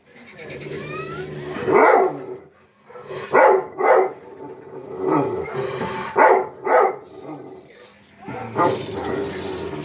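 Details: Dog named Chief barking at himself: a string of sharp, throaty barks, some in quick doubled bursts, separated by low grumbling pauses across the stretch.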